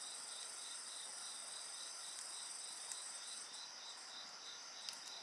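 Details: Crickets and other insects trill beside a bonfire: pulsing high chirps over a steady shrill hum, punctuated by a few crisp crackles and pops from the flames.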